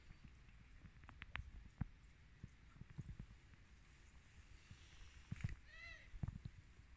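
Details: Several domestic cats waiting for food; one gives a single short, arched, harmonic meow near the end, preceded by scattered clicks, taps and soft thumps of movement.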